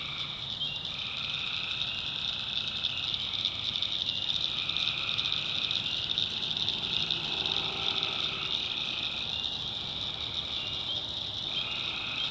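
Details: Tree frogs at night in the North Carolina backwoods swamp: a thick, continuous high trill, with repeated lower calls cutting in and out about every two seconds and a faint lower croak near the eighth second.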